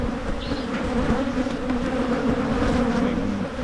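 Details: Many honey bees droning at a Michigan hive being split to prevent swarming; a constant, slightly undulating buzz with a short high whistle near the start over the hum.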